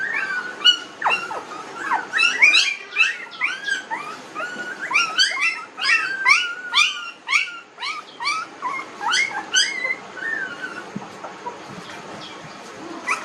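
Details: A litter of 19-day-old puppies whimpering almost without pause, with thin, wavering squeals that rise and bend downward, many voices overlapping in quick succession.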